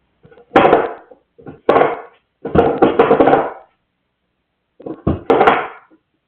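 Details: A dog named Dippie making noise: four loud, rough, harmonic bursts, each a moan-like yowl under a second long, the first three close together and the last after a pause of about a second, in a quiet indoor setting.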